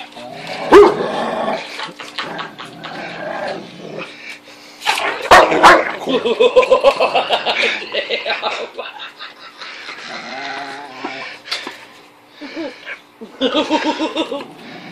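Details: Pet Rottweiler Zena, unable to destroy her 10-inch wiffle ball, breaks into rapid strained whines and yipping barks in bursts, with thuds of the toy, recorded indoors on a phone with a steady hum behind.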